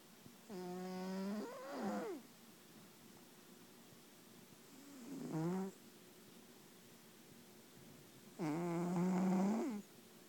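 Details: Loud sleeping snores from a Bengal cat. Three rasping, harmonic breaths vary in length, from about half a second to nearly two seconds, each ending in a rising sweep, separated by quiet gaps over a steady low hum.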